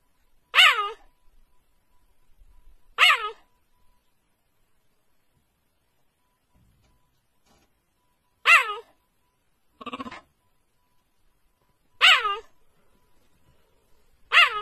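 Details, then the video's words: Cheetah giving repeated hiccup-like calls: five sharp, bright, harmonic yelps with a dipping pitch contour, spaced irregularly a few seconds apart, plus one rougher, noisier burst near the end and faint low background rumble. "Is the cheetah hiccuping?"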